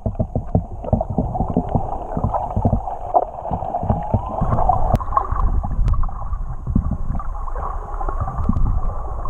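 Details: Whales singing underwater off Tonga, recorded while swimming with them, audio left unaltered: faint drawn-out tonal moans that rise in mid-clip, later a steadier higher held tone, beneath constant bubbling, gurgling water noise and low rumble.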